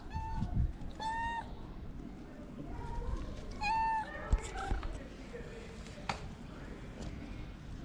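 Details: Hungry ginger stray cat with a long mustache, wanting love and food, gives short harmonic meows: two close together at the start, another a few seconds later, then quieter calls over low street rumble.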